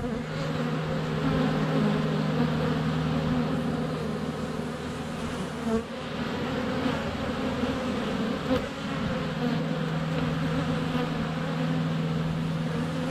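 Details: Swarm of honey bees flying around the hive entrance on a sunny February day, recorded under a foot away on a GoPro Hero 7 Black; continuous layered buzzing hum with wavering pitch and brief knocks of bees landing.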